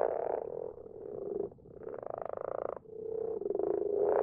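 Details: Common frogs calling together at night in a garden pond; low grunting croaks and a clearly rattling, buzzy pulsed call in the middle, with the chorus surging again at the close.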